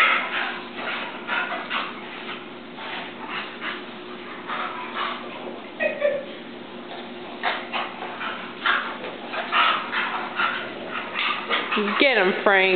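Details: Boston Terrier and a chow/collie mix dog playing together indoors; short yips, whines and growly barks in quick irregular bursts, a woman talking and encouraging them throughout.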